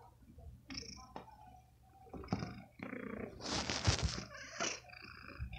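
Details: Adult domestic cat sucking on a shirt, a nursing-like habit of cats taken early from their mother; soft low purring with brief higher meow-like bursts and rustling close by indoors.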